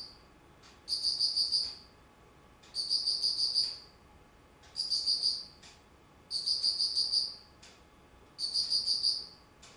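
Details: Insect calling on 19 September 2009 in autumn; five bright, rapidly pulsed chirp trains each near a second long, recurring about every two seconds, with a brief click preceding some bursts.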